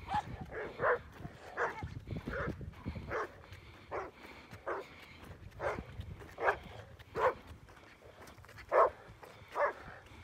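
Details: Jack Russell Terrier on a boar hunt, giving repeated short, sharp barks roughly every second, sometimes in quick doubles, with a faint rustling outdoor background.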